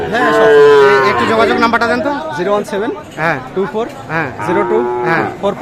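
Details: Sahiwal bull calves at the Aftabganj cattle market in Nawabganj, Dinajpur, Bangladesh, 16 July 2024: one drawn-out bellow for about two seconds, then men haggling over prices and crowd chatter.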